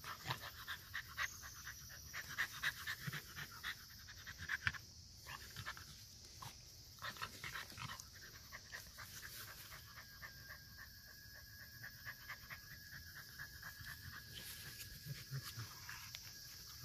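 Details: Bulldog panting rapidly, quick rhythmic breathy huffs about four per second throughout, with faint whimpering squeaks and a steady high hiss in the background.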